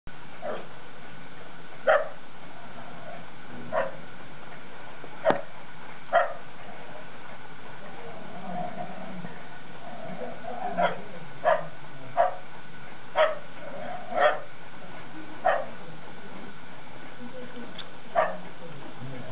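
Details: Two poodles, Bella and Dougal, in York, UK, during February 2012, playing in their first snow. Short sharp barks come singly and in loose bursts, about a dozen over the stretch, with quieter gaps between them.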